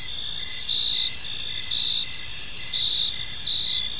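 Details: A brief stretch of evening cricket song from a park: high, thin, continuous chirping with gentle rhythmic surges, set against soft low-frequency background hiss.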